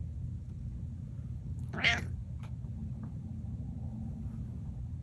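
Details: Domestic cat giving one short, nasal "mreh" call, a single bright burst partway through, otherwise quiet over a low steady indoor hum.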